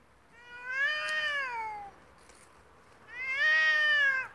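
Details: Two cats fighting, trading long drawn-out yowls: a rising then slowly falling wail of about a second and a half, a brief pause, then a second strained, harmonic-rich howl that swells and tapers off; no other sounds intrude.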